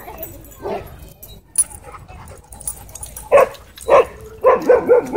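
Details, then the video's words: German Shepherd at a dog park, confronting a disrespectful dog: an early single bark, then two sharp loud barks about half a second apart, followed by a quick run of four clipped barks, over faint background noise. "Alpha German Shepherd Puts Disrespectful Dog In Its Place At Dog Park"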